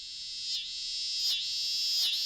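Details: A cicada, identified as a scissor-grinder cicada though possibly the swamp cicada, gives a loud, high, rasping buzz that swells in regular pulses; a species seldom heard in this area of Ohio.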